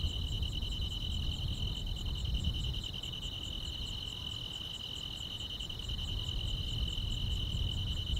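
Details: Summer-night grass insects chirring without pause, a continuous high buzzing trill with rapid regular pulses layered on top, set against soft low-frequency background noise.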